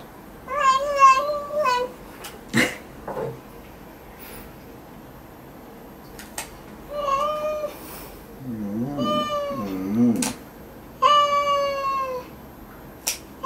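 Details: House cat protesting during claw trimming with a run of short and medium meows, some wavering and some steady, broken by sharp clicks and a low, warbling groan in the middle.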